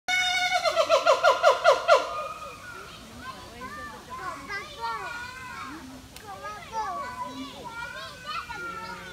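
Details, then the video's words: Siamang singing at Singapore Zoo in November 2017: a fast run of loud, pulsing whoops, then looser rising and falling hooting notes. "Siamang Singing & Swinging at Singapore Zoo (Part 2)"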